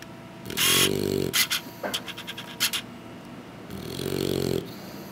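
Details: Sleeping English Bulldog puppies after feeding: two low, raspy snoring breaths a few seconds apart, separated by soft scratching and shuffling clicks.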